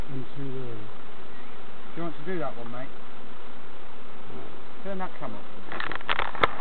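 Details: Steady drone of bees during a novice hive inspection at Summerwood Lane Allotments and Community Garden, overlaid with people talking and a burst of handling noise at the end.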